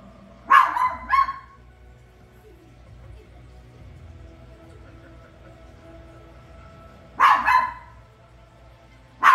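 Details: Toy poodle reacting to The Lion King on screen, letting out a pair of quick high barks, then a long pause filled with faint film soundtrack, then another double bark and a final yip at the end.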